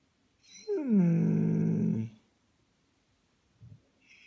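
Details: German Shepherd 'talking': one drawn-out, low, groaning howl that slides down from a higher start and holds steady for over a second, then stops, followed by a faint short grunt.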